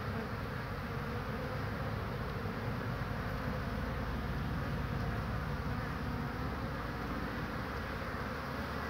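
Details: Honey bees flying busily in and out on 22 March 2019, bringing in pollen; a thick, constant droning buzz of many bees holds steady for nearly nine seconds, low and rumbling.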